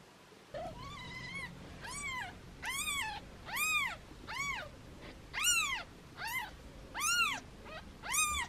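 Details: Foster kittens held in hands meow playfully: about a dozen bright, arched meows follow one another roughly every half second to second, some louder and longer than others, against a faint low background hum.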